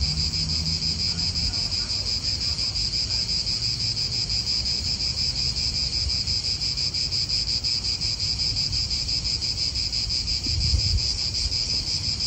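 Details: Steady cicada chorus recorded in an Italian park: a bright, sustained metallic buzz with faint rhythmic throbbing, backed by low rumbling wind and traffic from nearby.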